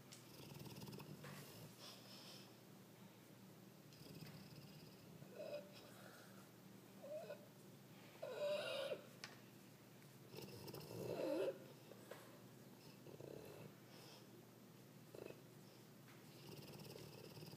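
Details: Dogue de Bordeaux named Brutus dreaming in his sleep as if chasing something; steady soft breathing broken by a few brief, muffled whimpering yips, the clearest two coming close together midway, in a quiet indoor room.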